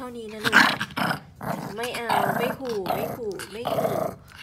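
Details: Pomeranian Yorkie dog grumbling and growling in bursts of wavering, rising and falling whines, repeated through the clip, while a person talks in Thai over it.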